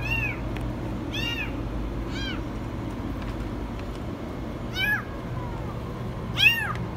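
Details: Very high meowing from a kitten stuck in a washing machine: thin arched cries every second or so, with a pause in the middle, above a constant low machine hum.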